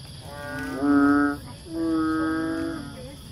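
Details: Banded bullfrog, also known as Asian painted frog or bubble frog, producing two drawn-out, moaning, moo-like calls, the second longer and steadier, over a low rumbling background.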